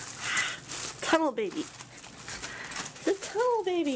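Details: Puppy giving two high whining yelps, each sliding downward in pitch, the second longer and drawn out, with quiet talking and steady room hiss between them.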